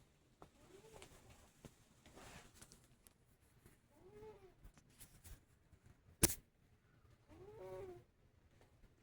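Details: A male Scottish Fold cat snores softly, each breath a low, rasping rumble every few seconds.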